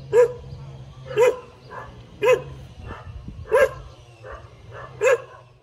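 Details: A tail-wagging dog gives loud single barks roughly once a second, five strong ones with softer barks between, against a low steady hum in the background.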